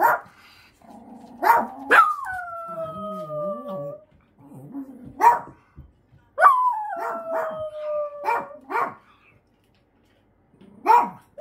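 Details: Choco, a 13-year-old Miniature Dachshund with a brain tumour, howls her quieter appeal of anxiety and loneliness; two long falling howls with a bright upper partial alternate with a lower wavering voice answering in kind, plus scattered yelps.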